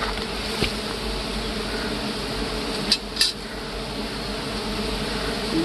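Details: Big honey bees swarming a honeycomb in hard woods during honey harvesting; continuous thick buzzing drone layered in low bands, with two sharp knocks or clicks midway.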